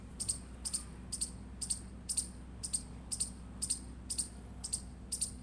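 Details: Steady run of shrill, clipped chirps from an Indian squirrel, eleven notes spaced about half a second apart, each a short high double tick, with quiet low hum beneath.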